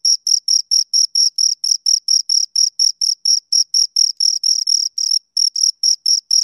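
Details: Two crickets chirping, a steady run of short high-pitched pulses about five per second, each with a bright tone and a fainter higher band, with a brief gap near the fifth second; no other sounds.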